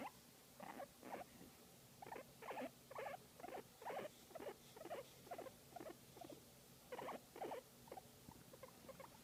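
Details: Guinea pig making soft, cute sounds while enjoying a massage; short rhythmic chirping chutters repeated about twice a second in bursts, with brief pauses between runs.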